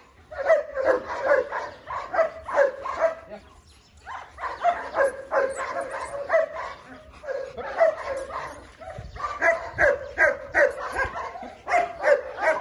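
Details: German Shepherds, more than one dog, giving rapid repeated barks in bursts of several per second, with short pauses between runs; a human voice also comes through.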